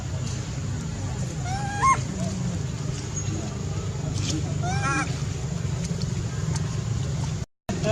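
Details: Sweet pea, a baby monkey, crying because he is angry with his mom; two clear rising-falling whiny cries, one near the start and one later, over steady low background rumble.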